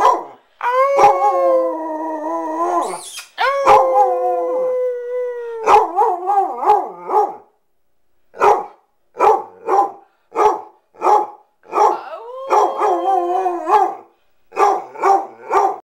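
A Basset Hound gives long, wavering howls, then breaks into a run of short, rhythmic baying barks.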